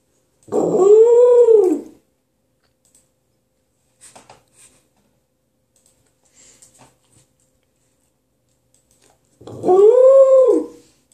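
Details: An elder female Pembroke Welsh Corgi begs for tasty food during her owner's breakfast with two long, arching whines that swoop up and then down, while her daughter waits quietly.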